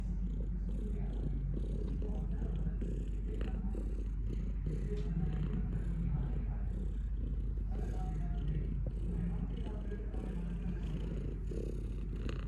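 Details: Domestic cat purring steadily, a dense low rumbling drone with a faint rhythmic swell as the breath cycles, plus soft brief rustles higher up.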